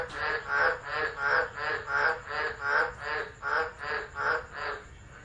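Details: Frogs chorusing during a tropical low at Driver, Northern Territory, Australia, in December, phone recording: rasping pulsed croaks roughly every 0.7 seconds, overlapping into a rolling, rhythmic chorus with a thin steady whine overhead.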